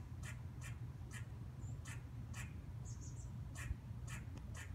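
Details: Short, clipped squirrel barks from a fence or tree branch come in a quick series about twice a second. Each note is brief and husky, with a faint high chirp between them and a constant low rumble beneath.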